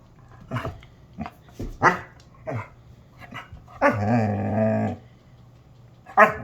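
A Basset Hound gives a run of short grumbling barks, then a long, deep, wavering howl.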